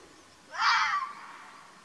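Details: Hoarse, screechy single call of a wild Arabian fox from Oman's mountains. It lasts roughly half a second, rises sharply at the start and fades gradually, and no other sounds are heard.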